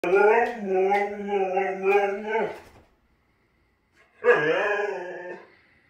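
A Siberian husky produces a drawn-out, fairly level howl lasting over two seconds. After a pause comes a briefer, wavering yowl that drops and rises, sounding almost like talking.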